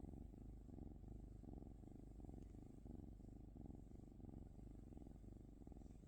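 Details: Close, low purring from a cat, a deep vibrating rumble that swells and eases in a regular breathing rhythm, about one cycle per second.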